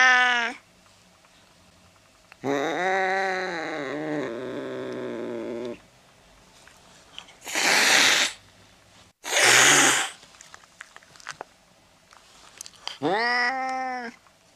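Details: Domestic cat sounds meant to chase away mice: drawn-out harmonic meows, one wavering and held for about three seconds, broken by two loud, harsh, hissing bursts in the middle before a final short meow.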